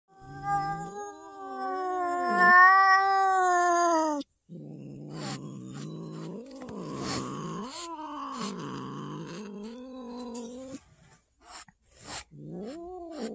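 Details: Ousa the cat meeting another cat for the first time: a sustained, wavering high yowl of about four seconds, then a run of lower, throaty, rising-and-falling moaning growls, ending in short broken bursts.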